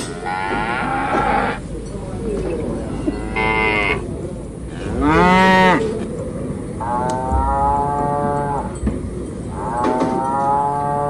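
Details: Enraged water buffalo at a cattle market in Indonesia, agitated after seeing its companion fall: repeated drawn-out bellows, some rising then falling, several in a row over steady crowd and market noise.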